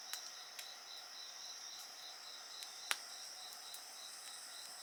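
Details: Insects singing beside a crackling bonfire: steady high shrill bands overlap, one pulsing rapidly, while sharp pops and snaps of burning wood break in several times.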